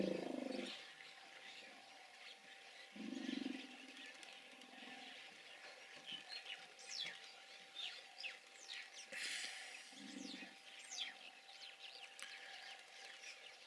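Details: Hippos giving short bursts of low, throaty grunting honks, one at the start and more around three and ten seconds in. Faint high chirps and scratchy noises fill the gaps between calls.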